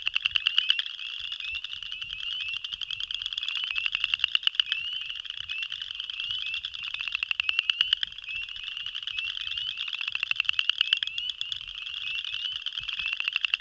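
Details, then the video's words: Male boreal chorus frogs give rapid, rising trilled creaks, their advertisement mating call; spring peepers are also heard. "Boreal Chorus Frog (Pseudacris maculata) Advertisement Call"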